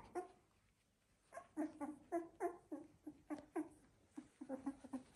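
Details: Sixteen-day-old Labrador Retriever puppies of a Z2 litter squeak and whimper indoors in short bursts of quick nasal yelps, a pause after the first note, then a busy irregular series.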